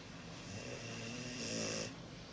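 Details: Mugi, a large Cane Corso (Italian Corso dog), a breed rare in Japan, snoring: a steady rasping drone with low tonal bands, swelling louder and brighter toward the end of the breath.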